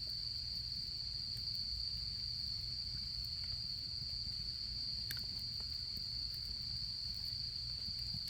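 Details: A constant high insect trill on an autumn night by a campfire, steady and unvarying, with small scattered crackles and a gentle low background hum.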